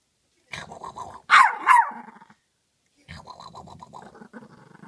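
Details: Female Chihuahua barking for her bone through the crack of a closed door she is afraid to scratch open; a yelping bark, then a rising high yip, then a long low growling grumble. A person says "open the door" right after.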